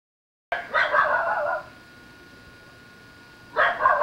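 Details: An excited Basenji, recorded unawares through a metal screen door, gives a burst of yodel-like barking, then falls quiet before another outburst; such barking was never heard before by a long-time Basenji keeper.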